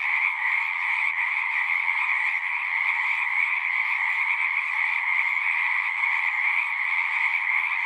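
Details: Horse-pasture pond frogs in full chorus, taken on a Zoom 6: overlapping pulsing trills form a continuous two-band drone, level and uninterrupted from start to finish.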